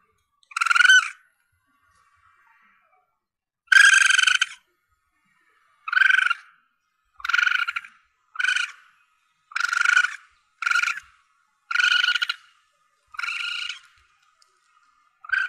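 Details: Asian palm civet young, a call used to attract animals when hunting: a run of about twelve harsh, buzzy squeals, the first two longer, the rest shorter and coming faster, each sharp and harmonic.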